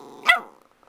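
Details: Domestic dog that misses someone barks once, short and rough with a growly tail, over soft background hum, as a person talks to it.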